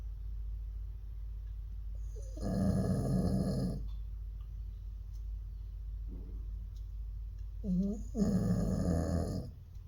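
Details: Jindo dog, its snoring getting more severe with age, snoring heavily; two loud, rough, vibrating snores about six seconds apart, with a faint short snort between them and low background hum.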